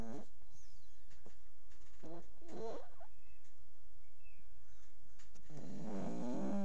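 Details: Sleeping dog giving short, irregular snorts and snores: brief rasping bursts early on, then a longer, louder, buzzy snore at the end over a quiet indoor background.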